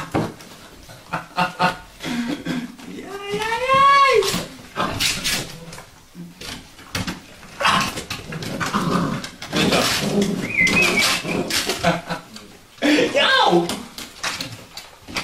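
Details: Vizsla puppies, Sejla litter, give a drawn-out, arching whine-howl around the fourth second that rises then falls, among short yips and whimpers, with human voices talking throughout.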